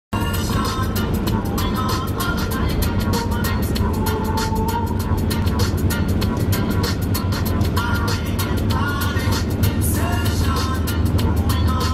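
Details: Loud music over a low engine-like rumble fills the whole stretch, with no animal sounds heard.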